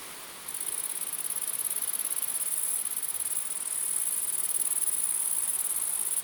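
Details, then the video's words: Mass of grasshoppers buzzing at night: after a half-second lull a shrill, high-pitched hum starts and runs unbroken, swelling slightly toward the end. "Grasshopper Sounds | Grasshopper Buzz, Night Grasshopper Humming Sound, Mass Grasshoppers Sound"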